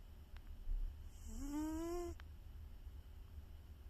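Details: A sleeping pet cat gives one big snore, a rising, buzzy, harmonic-rich drone lasting under a second, set against a quiet indoor low rumble.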